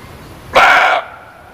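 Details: Muntjac producing a single sharp, rasping bark of about half a second, loud and abrupt against a quiet hissing background.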